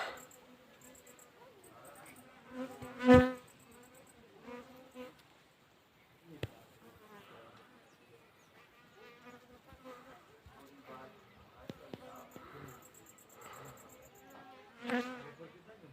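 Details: Western honey bees (Apis mellifera) hum with a steady, low wing buzz that swells loudly as one flies close past.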